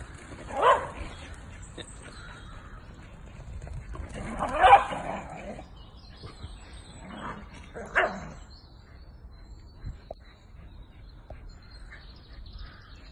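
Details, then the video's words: Bedlington whippets, two dogs out in a park, giving three loud, short barks spaced roughly three to four seconds apart, with low rumbling background noise between them. "Bedlington whippets"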